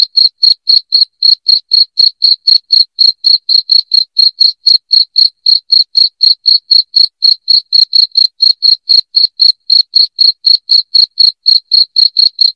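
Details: Shrill cricket song meant to chase rats from a house: unbroken, regular high chirps repeating roughly four times a second for the whole stretch, crisp and loud against a silent background.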